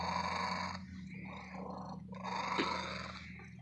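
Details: Close loud purring from a female domestic cat in an antique store; two long rasping breath phases with a softer rumble between, and a steady low hum throughout.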